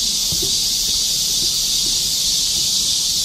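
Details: Cicadas keep up a loud, unbroken, high-pitched buzz in a steady chorus, with faint low rustles beneath, in a summer forest on a park hillside trail (Galsan) during the July 2024 rainy-season heatwave.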